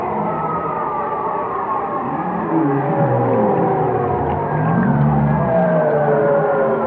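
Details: Whale song: layered low moans and slow sliding tones that rise and fall, several overlapping voices forming a dense, unbroken chorus with a faint steady hiss underneath.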